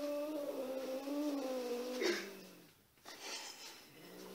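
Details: A domestic cat meeting another cat gives a long, low, drawn-out moaning yowl of about two seconds that sags slightly in pitch. It ends abruptly and is followed by a brief pause and a quieter low drone.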